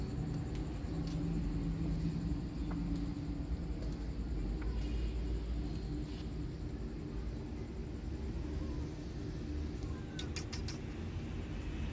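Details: Low outdoor rumble like distant traffic, with faint scattered clicks and no clear animal call.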